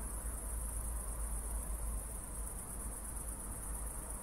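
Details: A night chorus of crickets near Zwettl, Austria, after a recent thunderstorm, recorded in 24-bit stereo. The trill is continuous, high and shimmering, with a rapid pulse, over a constant low rumble.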